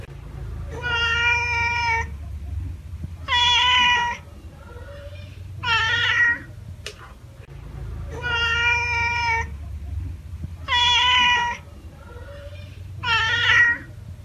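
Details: Domestic cat meowing: six drawn-out, harmonic-rich meows, each about a second long, arriving in two matching sets of three with short quiet gaps and a low background hum.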